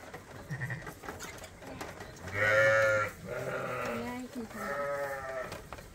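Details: Bottle-fed lambs on a sheep farm, still on their mothers but topped up twice daily; three quavering, harmonic bleats in quick succession, the first loudest, over soft rustling and farm background.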